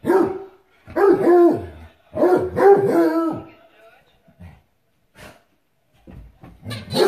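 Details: A female Redbone Coonhound barks loudly at a red squeaky ball while playing, giving full-throated barks in quick bursts, each with a ringing, harmonic tone.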